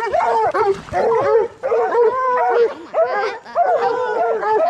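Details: Training coon dogs, bluetick and black and tan hounds for raccoon hunting, give quick repeated bawling barks, roughly a bark and a half each second, with drawn howls woven through the overlapping pack.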